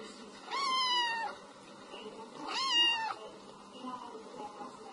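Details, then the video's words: Cute kitten meow: two long, slightly descending meows about two seconds apart, with faint softer sounds and steady background hiss. "tiếng mèo kêu meo meo mèo con kêu dễ thương"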